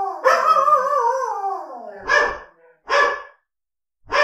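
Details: Angry dogs, recorded for real: a long, drawn-out howling bark slides downward over about two seconds, then three short, sharp barks follow after pauses.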